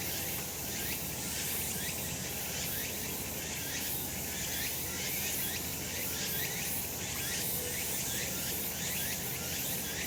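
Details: Cicadas calling on a sunny summer mountain in Japan: a dense, continuous buzzing chorus fills the upper range, with faint pulsing, shimmering waves about every half second layered over a steady low rumble.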